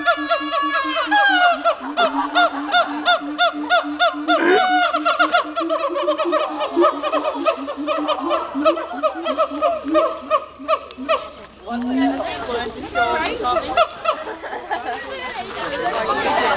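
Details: Two siamangs at Dubbo Zoo give loud, honking hoots and barks in quick, uneven bursts, with a rising whoop near the end; the calls are loud enough to carry through dense rainforest.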